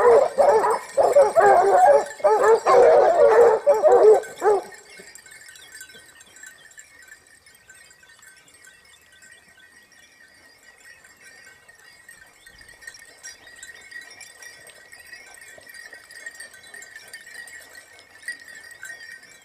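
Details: Basset Hound pack of Topsfield Lebrera hunting in Spain during the 2015-16 season, the hounds' second year hunting; a dense burst of overlapping baying fills the first five seconds, then falls away to faint, distant voices.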